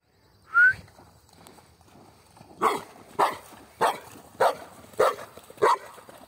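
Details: Mixed-breed dog and a Pitbull playing outdoors, with a small stone thrown for fetching; a short rising squeak opens, then six sharp, bright barks come at an even pace of roughly one every 0.6 seconds.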